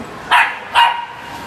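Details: Two quick sharp barks about half a second apart from Tamayo, a two-year-old female Shiba Inu, playing on her first visit to a small indoor dog run on a rainy day. The second bark trails into a brief ringing tone. Quiet background.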